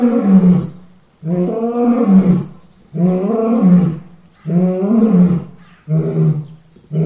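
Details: Deep, full-throated lion roars, five long rumbling bursts each lasting about a second, separated by brief pauses, loud and resonant with a low growling core and no other sounds.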